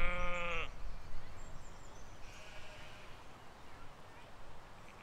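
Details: Grazing sheep and lambs in a spring 2020 field: a short, bright bleat bursts out at the start and cuts off, followed by quiet low rumble and a faint distant chirp.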